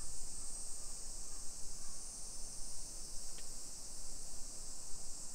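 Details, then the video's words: Cicadas singing on a summer afternoon, 28 July 2021 at 1 PM, in suburban Nisshin near Nagoya, Japan, make a constant shrill drone that never pauses, with a muffled low rumble of walking beneath. "Summer Cicadas Sounds"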